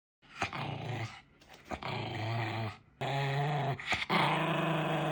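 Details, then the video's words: Maltese dog showing its temper, giving low, rough growls in three drawn-out bursts of about a second each, separated by short breaks, with a few sharper snorts between them. "말티즈 승질 제대로 보여줌"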